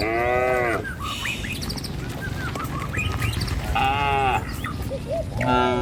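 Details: Cattle herd walking a rural village road toward the pen; two or three fairly short, bright moos separated by pauses, with bird chirps and a constant rumble of hooves and ambient noise throughout.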